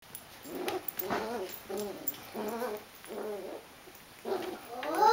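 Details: A 9-week-old dachshund puppy gives short, high grumbling growls in quick bursts about once a second while attacking a ball.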